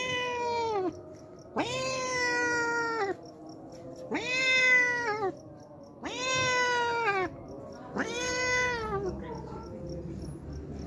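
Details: Hungry stray cat that shows up daily to drink milk, meowing insistently: five loud, long meows about every two seconds, each rising fast, then easing downward.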